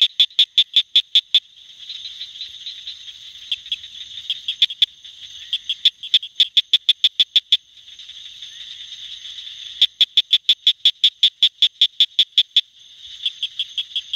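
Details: Southern cricket frog calling in the lower North Carolina Sandhills with rapid bursts of sharp, clicking notes like pebbles tapped together.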